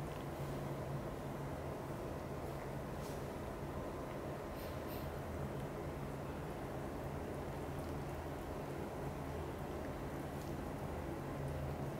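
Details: Steady low rumbling noise like a running machine or vehicle fills the recording, with no animal sound heard.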